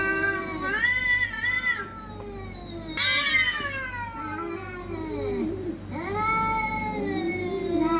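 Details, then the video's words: Cats fighting: long drawn-out wailing yowls that waver and bend in pitch, rising then falling, in overlapping voices with short pauses, over a steady low pulsing hum. "TRY THIS SOUND ON YOUR CATS"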